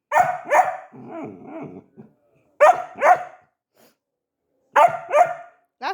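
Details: Labrador Retriever puppy barking in quick pairs of sharp, bright barks, three bursts spaced about two seconds apart, with a lower, grumbling stretch after the first pair and a short final bark at the end.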